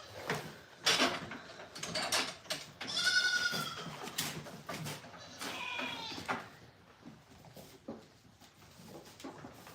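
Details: Morning milking on a goat farm with kids nearby; one clear quavering bleat rises near the start, followed by knocks, rustling and quieter scattered noises in an enclosed space.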